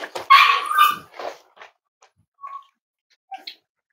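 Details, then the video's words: Five-week-old Cavalier King Charles Spaniel puppies at Red Barn Cavaliers, indoors on a chilly Thursday morning: a loud burst of high yipping and whimpering, then a few short, thin squeaks fading out over the next seconds. "Cavalier Puppy Live Stream: Myra & Remy's Puppies"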